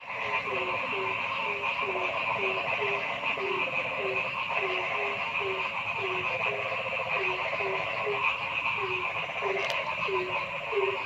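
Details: Frogs calling in a forest: a steady row of short, low, upward-flicking croaks about three per second rides over a dense, unbroken chorus of higher buzzing and trilling bands.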